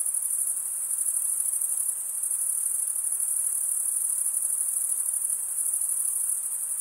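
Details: Chorus of chirping crickets, a dense high-pitched ringing drone sustained throughout with slight pulsing and a small dip in loudness near the two-second mark. Gentle low hiss below, no other voices.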